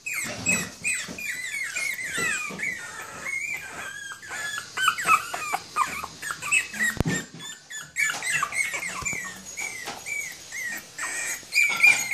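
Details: Three puppies, one female and two male, Toy Poodle and Pomeranian pups, giving a busy chorus of high squeaky whines and yelps that overlap and rise and fall throughout, with a few soft thumps.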